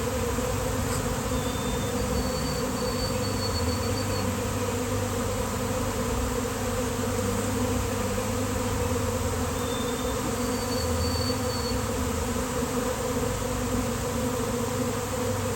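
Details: Honeybee swarm settling onto a basketball hoop, thousands of bees on a day of nice weather; a continuous, even, low buzzing drone holds for the full stretch, with faint high tones drifting above.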